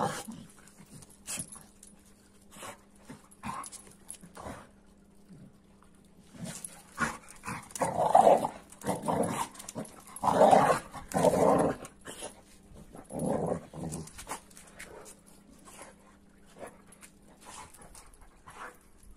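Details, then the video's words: AmStaff and Kuvasz dogs playing roughly, with scattered scuffling and a cluster of louder rough growls in the middle, quieter toward the end, over a low steady hum. "AmStaff VS Kuvasz 8 Minutes Of Rough Playing"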